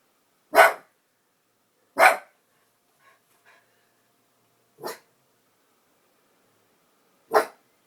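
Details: A dog barking at a bird gives four sharp, single barks spaced irregularly over about seven seconds, with faint quieter sounds in between.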